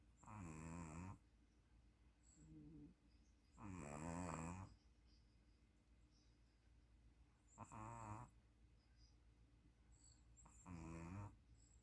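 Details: Sleeping puppy snoring indoors: four loud, harmonic snore breaths roughly every three to four seconds, each lasting about a second, with faint softer breathing in between.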